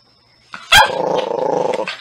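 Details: Natsume, a Norfolk Terrier, lets out one sharp bark and then a steady, rattling growl that pulses rapidly for over a second before fading.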